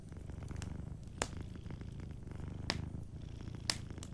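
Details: Soft, rhythmic purr of a sleeping cat, low and pulsing in quick breaths in and out, punctuated by three bright snaps from a crackling fireplace.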